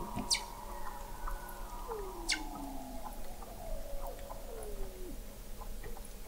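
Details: Weddell seals under sea ice in McMurdo Sound, Antarctica, recorded November 2017 at 21 m depth: faint descending glides and low wavering tones, with two brief sharp clicks.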